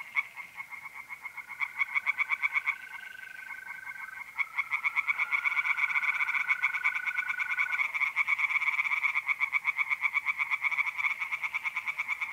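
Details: Tree frogs singing by night in a pond in north-east Italy in mid April: a dense chorus of rapid, pulsed croaks repeated about three times a second, with the long, steady trill of mole crickets running beneath.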